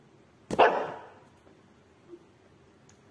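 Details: Maltese (Canis familiaris), bark.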